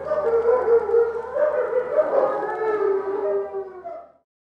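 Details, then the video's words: A family of eastern timber wolves howls at Maruyama Zoo on 15 March 2011 in snow: a 5-year-old father, a 10-year-old mother and a 10-month-old son. The mother began after an ambulance siren and the two males joined in, long wavering tones overlapping. "シンリンオオカミ家族で遠吠え~Wolf's Family Howling"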